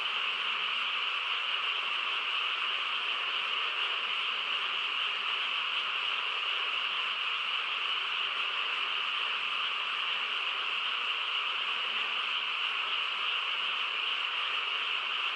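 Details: Countryside frogs chorusing after dark, a thick, ceaseless mass of trilling croaks at an unchanging volume, with no birds, wind or voices standing out.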